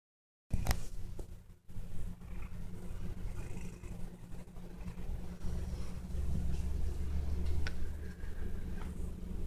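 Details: A happy Bengal cat purrs in a steady, low, rumbling drone, showing contentment while napping beside a Shiba Inu.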